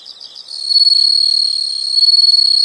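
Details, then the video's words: Soft pulsed chirps at first, then a strong, sustained, shrill insect trill. The trill stays high and even, with a faint rapid throb running through it. "the sound of insects"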